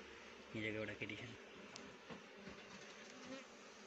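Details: Honey bees gathering rhododendron nectar to make honey, their steady low buzzing running throughout, briefly overlapped near the start by a short burst of a human voice.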